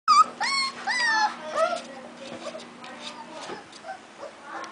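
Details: Four-week-five-day-old American bulldog puppies whine and yelp in a rapid overlapping chorus of high, rising-then-falling squeals, loudest in the first two seconds then softer whimpers, with a steady low hum behind.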